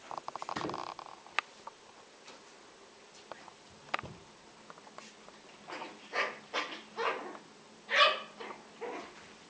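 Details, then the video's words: Two Yorkshire Terriers, Jessi and Megi, playing together indoors: a quick rattling burst of small yaps at the start, scattered clicks and taps, then a run of five or six harsh, growly barks spaced about a second apart. "Yorkshire terier - hra Jessi a Megi"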